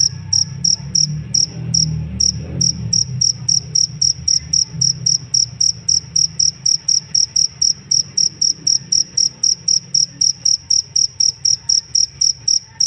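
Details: Cricket (jangkrik) used as a master sound for training songbirds: steady bright pulsed chirps repeated about four times a second, with a short break near the start, over a low background rumble.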